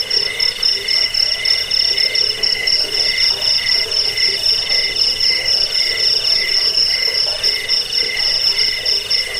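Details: Crickets used as a rat repellent, sleep sound and bird-training track: shrill pulsed trilling throughout, bright high ringing notes stacked over lower rhythmic buzzing, unbroken.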